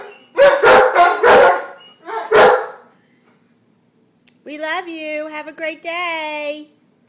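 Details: A pair of Giant Schnauzers, Max and Diva, "singing": a few rough barking howls, a silent stretch, then a smoother, drawn-out tonal wail with a steady pitch, broken by brief clicks.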